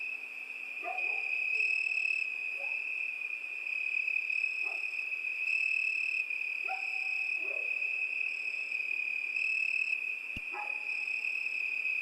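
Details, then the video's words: Crickets sing through a summer night in a continuous piercing trill. Lower chirping calls come in scattered bursts, and one sharp click is heard near the end. "ЗВУКИ ЛЕТНЕЙ НОЧИ. ПОЮТ СВЕРЧКИ."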